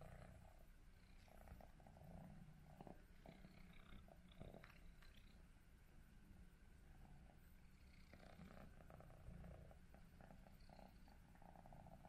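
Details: Cats sleeping and snuggling together in one bed, among them Prince, a male British Shorthair kitten, Tom, a black and white male, and Mimi, a white and ginger male; a soft, steady low purr rumbles throughout with faint rustling.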